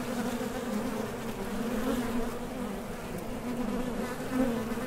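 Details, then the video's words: Honey bees at the entrance of a top bar hive, leaving and landing while foraging for nectar; a steady, droning hum with a low pitch and a strong overtone above it, swelling slightly as individual bees pass close. "HONEY BEES Sound Effect #MasonJar | BEES BUZZING"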